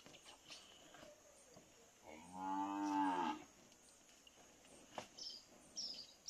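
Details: Nelore bull on a farm, courting a cow in heat after being put with her; one deep, drawn-out moo lasting about a second, rich and tonal, amid faint insect and farm noise.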